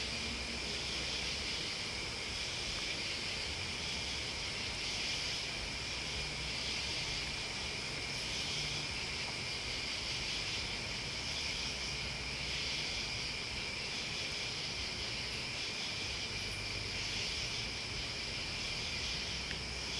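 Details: A steady night-like drone of crickets and bugs: unbroken high-pitched trilling in layered bands, slightly pulsing in strength, with a soft low rumble underneath throughout.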